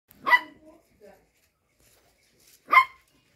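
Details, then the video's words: Show Cocker Spaniel puppies at play give two short, sharp barks about two and a half seconds apart. Each bark is bright and harmonic, with quiet gaps and faint soft noises between them. "show cocker spaniel puppies play time"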